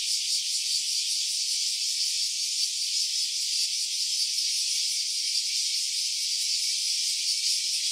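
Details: Cicada recorded in stereo on an OPPO Reno A smartphone: a steady, dense rasping drone, high-pitched and unbroken for the whole stretch, with a faint rapid pulsing texture and no other sounds.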